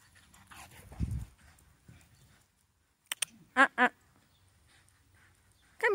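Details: Female Galgo Español running in a garden gives two sharp, harmonic barks in quick succession, then a third bark rising at the very end, with quiet gaps and soft rustling between.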